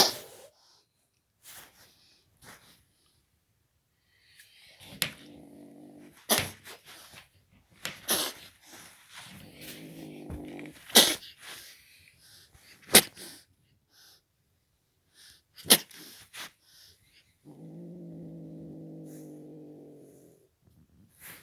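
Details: Indoors, a Belgian kitten growls at the camera in three low, droning bouts of a few seconds each, separated by sharp clicks and rustling handling noises.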